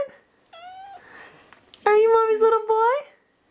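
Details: A Balinese kitten, just woken and wanting to go back to sleep, gives a short meow, then a long, loud, drawn-out meow that rises at the end.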